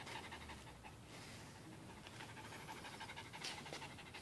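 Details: Pet dog AJ, excited over his towel after playing tug of war, breathes in fast, steady panting. Soft rasping huffs repeat roughly three times a second without pause.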